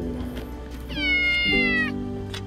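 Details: Abandoned kitten stuck on a five-storey-high expressway barrier wall, later rescued and adopted by a rider: one clear, high, drawn-out meow lasting about a second, slightly falling at the end, over steady background music.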